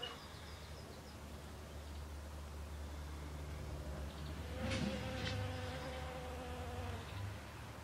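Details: Western honey bee among flowering snowdrops, its low steady drone rising in strength near the middle as brighter overtones appear, alongside a couple of short soft knocks.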